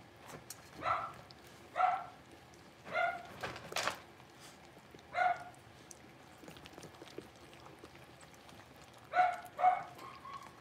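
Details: Blenheim Cavalier King Charles Spaniel puppies aged six weeks, five littermates in a puppy pen at home, yap in short sharp barks, often in doubles, roughly every second or two, with a brief thump and faint clicking in between.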